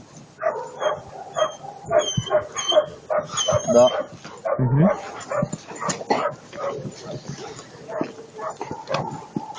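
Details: German Shepherd barking in short, irregular bursts of yips and woofs, roughly one a second, with people talking over the dog throughout.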